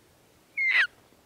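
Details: A single brief, high whistled elk call that swells and then slides downward, made by an elk hunter calling bulls during the rut in archery season.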